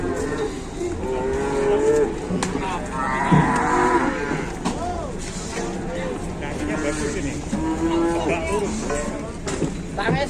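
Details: Geringan cattle in a busy setting: many overlapping moos of varying pitch, some short and curved, others long and level, forming a constant jumble with low rumbling noise underneath.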